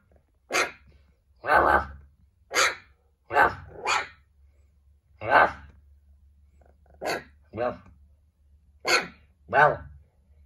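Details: Little puppy "talking" and answering a person with short, yappy, slightly whiny barks, about ten bursts in ten seconds at uneven intervals, in a quiet room.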